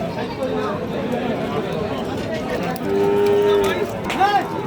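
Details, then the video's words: Six-to-eight-month-old Sahiwal and other breed calves at a market in Dinajpur district; a clear, level moo lasting under a second, then a shorter rising call, over busy chatter and men discussing sale targets. "শাহীওয়াল এবং বিভিন্ন জাতের বাছুর গুলো"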